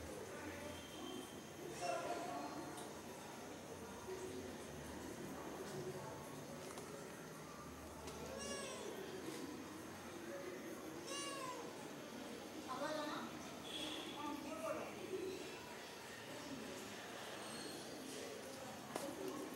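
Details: Pet cats of a landlord's household, a whole cat family, joined by an outside black cat that the others fear. Several drawn-out, arching meows are spaced through the clip over steady background hum, with people talking nearby.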